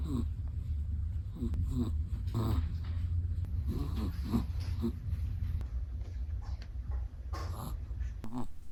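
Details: A sleeping Chihuahua breathing heavily indoors, a continuous low rumbling snore with soft throaty pulses and occasional faint clicks throughout.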